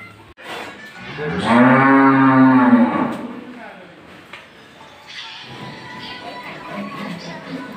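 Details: Friesian dairy cow suddenly sick with viral fever, awaiting treatment: one loud, drawn-out moo lasting about a second and a half, starting low and holding a steady strained tone, followed by quieter shuffling and background voices.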